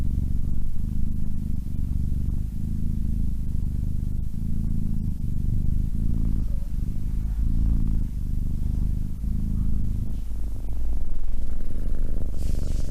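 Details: Domestic cat purring close up, a deep steady rumble that swells and fades in regular pulses roughly three to four times a second, with a faint hiss near the end.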